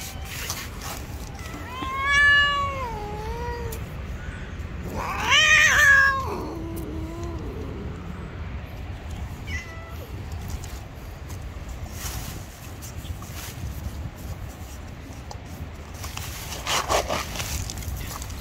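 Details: Gray stray cat living on the street, angry when someone tries to touch it, gives two drawn-out harmonic yowls that waver and fall in pitch, each about a second long, then goes quiet under faint outdoor street noise.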